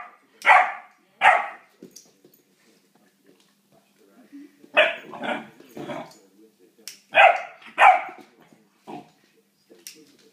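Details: A Great Dane puppy barks at a lighter, giving sharp, hoarse barks, often in quick pairs with pauses between.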